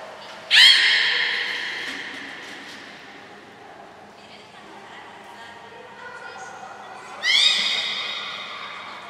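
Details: Training of belugas Gray, Nana and Mirai at Port of Nagoya Public Aquarium, June 7, 2022: two sharp, slightly rising harmonic whistles about six seconds apart, each ringing on and decaying, with faint murmurs and room echo between.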